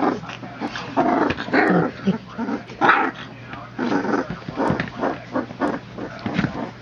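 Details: Three-week-old puppies, born 22 September 2014, play-fighting together; rough, low growls and scuffling noises come in bursts, with people laughing and talking in the background.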